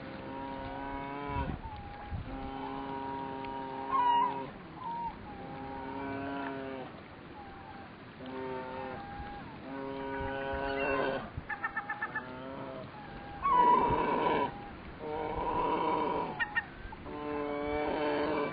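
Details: A brown bear cub gives drawn-out, nasal bawling calls, begging for a share of the day's catch.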